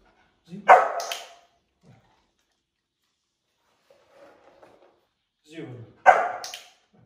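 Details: Labrador Retriever puppy named Lia on its first day of school, giving two sharp, loud barks about five seconds apart, each with a short grunting lead-in, and faint scattered low sounds in the quiet gap between.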